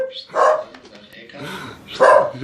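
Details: Pet dog making funny noises: two short muffled woofs about one and a half seconds apart with soft rustling between, indoors.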